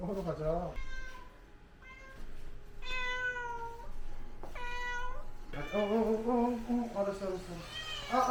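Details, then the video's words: Pharmacy cat Sol, a house cat from Hongdae, being bathed; loud drawn-out meows with rich stacked harmonics, some rising then falling, repeated several times over about eight seconds, with a steady low hum and a person talking between calls. "지옥 같았던 약국냥이 냥빨"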